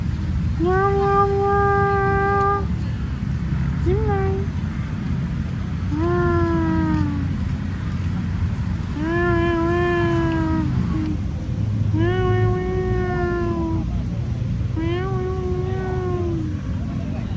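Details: Tabby cat in Lumpini Park, 18 August 2026 at 6:14 PM: six drawn-out, steady meows of one to two seconds each, arriving every two to three seconds. Each has clear harmonics, set over a constant low rumble.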